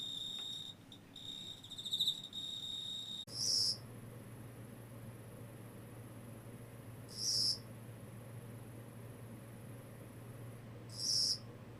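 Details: Insect gives a high trill at first, then three loud, short shrill chirps spaced about four seconds apart over a low steady hum.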